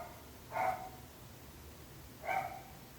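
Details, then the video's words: Two clear, loud dog barks about two seconds apart, from dogs whose barking is described as a nuisance to neighbours, with quiet background between them. "26 minuts gossos lladrant / 26 minutes barking dogs"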